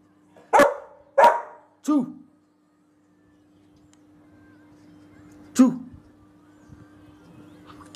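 A Rottweiler gives short, harsh barks: three in quick succession, then two more after a pause.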